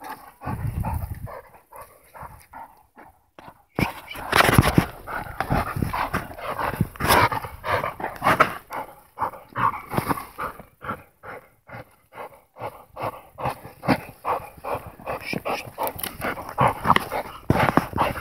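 An American Pit Bull Terrier barks in short, sharp bursts, with people talking and laughing nearby.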